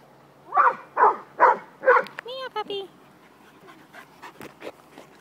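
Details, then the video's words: Playing puppies let out four quick yapping barks, followed by a few thin squeaky whistled notes and soft scuffling sounds. "Puppies play"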